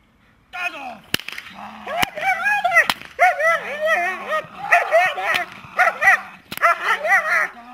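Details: A dog named Ambra barking on command while holding: short arched barks and yips come in quick bursts, with a person's voice giving commands and brief clicks throughout.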